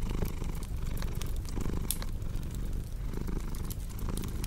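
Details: Soft low purring of a cat, rumbling in gentle breath-timed pulses, partly masked by busy crackling and popping from a fireplace.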